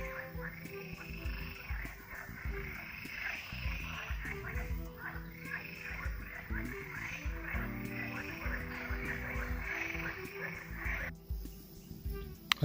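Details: A chorus of green frogs croaks steadily from a pond during a forest walk, with soft music underneath.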